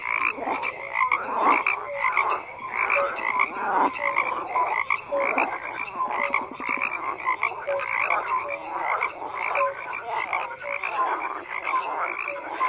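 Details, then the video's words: Numerous frogs keep up a loud, continuous croaking chorus, raspy pulses repeating quickly and overlapping, with occasional brief tonal chirps. "FROGS CROAKING"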